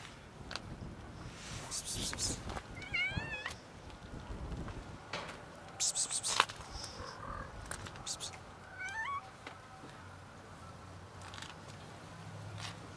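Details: A female domestic cat making odd noises while being touched: short wavering meows with a quavering, stepped pitch, separated by rustling and handling sounds and faint background noise.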